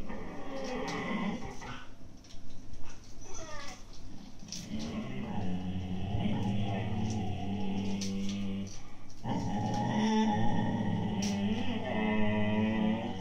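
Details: Indoors, two Siberian Husky puppies of 8-9 months growl at each other over an empty food bag, a continuous low rumble rising into whiny, tremulous growl-howls, with rustling and clicks throughout.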